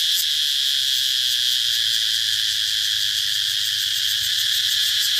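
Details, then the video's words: Cicada singing a loud, sizzling, high-pitched buzz, continuous and fast-throbbing with a quick pulse inside the steady tone. "Cicada sound"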